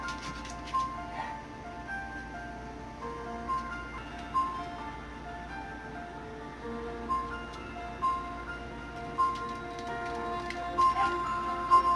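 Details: Quiet, tinkling instrumental music plays with soft repeated chime-like notes and no animal voice.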